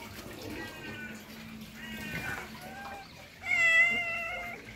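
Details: A white cat among many cats gives three harmonic meows, short and level at first, then a louder, longer, bright meow near the end; faint background rumble throughout.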